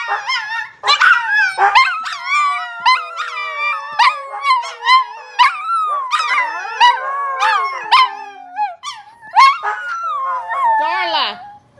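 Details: Several Siberian huskies howling during play at home, a busy chorus of wavering, yodel-like howls and sharp yips overlapping throughout, pitch swooping up and down with frequent short breaks.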